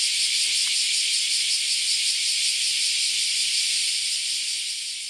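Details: Many cicadas shrill together in an even, high-pitched sizzling drone that holds steady and then fades slightly in the final second.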